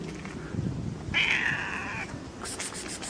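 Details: Fluffy kitten playing with a person's fingers, giving one drawn-out, fairly high meow lasting about a second, framed by soft low rustling and a few scratchy handling noises near the end.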